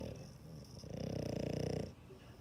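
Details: Dog snoring: a single rough, buzzy breath about one second long with a rapid fluttering rattle, in a quiet room.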